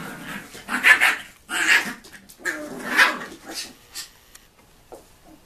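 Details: Tibetan Terrier puppies aged nine weeks, F litter of the Tinsha Bells kennel, born 2 November 2015, giving high, sharp puppy barks and yaps in uneven bursts roughly every second, then trailing into softer whines.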